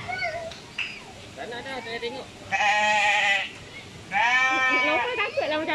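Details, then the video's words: Goat calling while pooping: two strong, drawn-out bleats near the end, each about a second long, after a stretch of soft chatter and quieter voices. "Goat Sound Original Funny While pooping"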